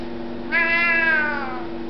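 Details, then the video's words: A talkative Siamese cat gives a single long meow lasting about one second, starting suddenly, strong and harmonic, holding steady then sliding slightly downward at the end, indoors with a faint steady hum beneath. "Nicki the Talking Siamese"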